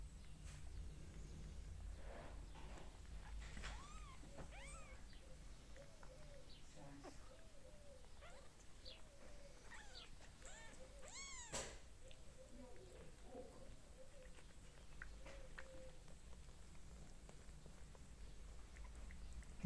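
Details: Kittens with their mother cat give a string of thin, high, arching mews with rising and falling contours, some overlapping, over a steady low rumble of background noise and a few sharp clicks.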